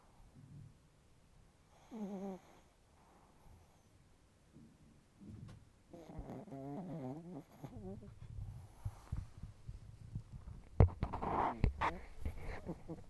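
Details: Chihuahua snoring intensely with facial twitching, giving short low rattling snore bursts, one near the start and a longer wavering run midway, followed by irregular snuffles and clattering knocks toward the end.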